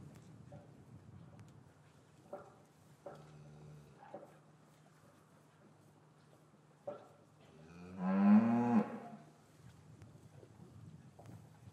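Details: English farm cattle yard, winter afternoon, with calves separated from their mothers; a few faint thuds and soft low sounds, then one strong, rising moo lasting about a second, followed by quiet rustling.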